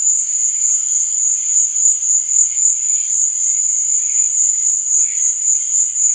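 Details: Crickets at night keep up an unbroken, piercing high trill with a rapid regular throb, while quieter hazy tones murmur faintly below it.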